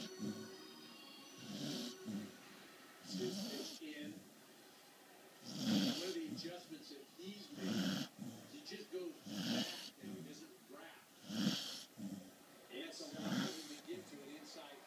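A sleeping corgi snores in rough, rasping breaths about every two seconds over a televised sports commentary.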